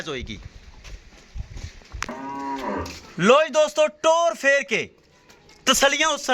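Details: Jersey Friesian cow offered for sale in Pakistan, mooing in drawn-out calls with clear harmonic bands; a short low moo near two seconds, then a string of loud rising-falling moos from three to five seconds and again near the end.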